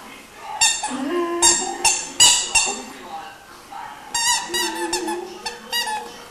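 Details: Iarla, a 3-month-old Irish Wolfhound puppy, singing indoors: short harmonic yowls that slide up and down in pitch, delivered in two clusters of quick bursts separated by a brief pause, with faint room noise between.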